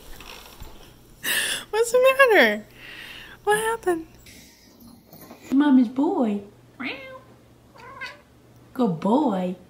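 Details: Young domestic cat meowing indoors, repeated drawn-out wavering meows that rise then fall, several in a row with short gaps, alongside a person talking to it and background music.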